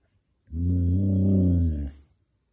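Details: Samoyed giving one low, steady, voiced groan or growl that lasts about a second and a half, rich in harmonics, with a slight rise and fall in pitch, then stops, with near silence before and after.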